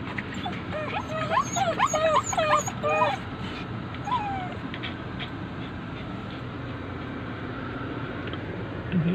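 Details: Pet poodle among several dogs giving a burst of quick, high yipping whimpers over about three seconds, then one short whine, followed by quiet room hum.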